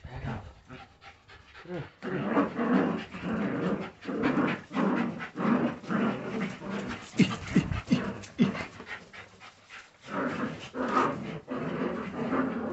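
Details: Jagdterrier puppies at a kennel, heard as bursts of rapid panting and short soft whimpers, with pauses between, and low human voices in the background.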